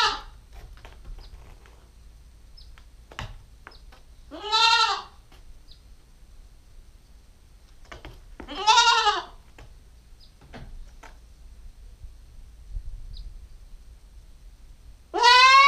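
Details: Nubian goat kid, a female nine weeks old, filmed with a GoPro stakeout camera. Three separate wavering, harmonic bleats come several seconds apart, with quiet low background rumble and faint clicks between them.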